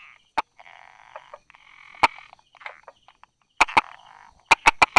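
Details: Buerger's frog calling from among rock crevices and grass, 22 July 2016 at 10:44: isolated taps, then rapid clusters of sharp clicks at the end, over a continuous low chorus of buzzy frog calls.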